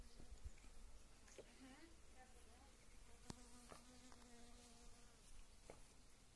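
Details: A honey bee foraging among wild mustard flowers during spring bloom; a steady, sustained buzzing hum with bright overtones runs through the middle, over a hissy background with a few sharp clicks.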